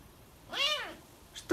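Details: A pet serval gives a single meow-like call that rises and then falls, much like a house cat, while its owner calls it and asks whether it wants to go outside.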